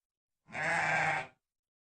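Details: Sheep letting out a single quiet, coarse, wavering bleat about a second long in otherwise silent surroundings.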